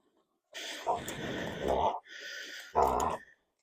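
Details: Delta Dawn, a dog, having a bout of sneezing indoors: a long, rough, snorting run of breathy inhalations lasting about a second and a half, a brief pause, then a shorter, louder snort.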